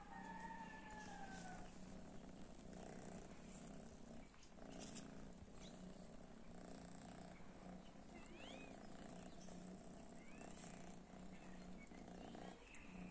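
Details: Domestic cats that disliked cat weed; a brief falling, meow-like tone opens, then a low continuous purr throbs underneath, with a few faint high squeaky chirps midway and late.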